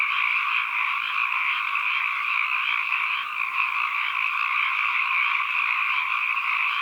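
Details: Frogs croaking en masse as ambient sound: an unbroken, shimmering chorus with faint pulsing in a mid and a high band, nearly even in loudness, with only a brief dip midway.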